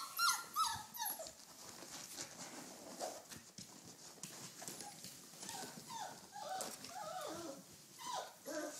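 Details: Playful red rust Doberman Pinscher pups at four weeks old, tails wagging as they run around, give scattered thin whines and squeals, mostly short falling slides, coming in irregular bursts of several per second over a rustling background.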